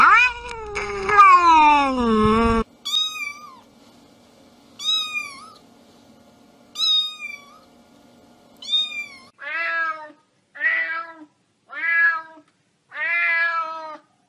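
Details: Domestic cat sounds meant to annoy pets: a loud falling wail first, then a series of short high meows spaced a second or two apart over a faint steady hum, ending in lower, rougher meows.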